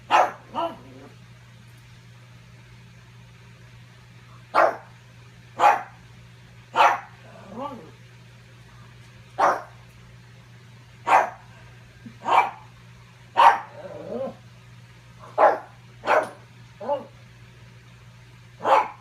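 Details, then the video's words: Pug spending the afternoon barking at its reflection, trying to steal its ball; many short sharp barks in irregular bursts, some paired, with small softer yips and a steady low hum throughout. "barking at my reflection"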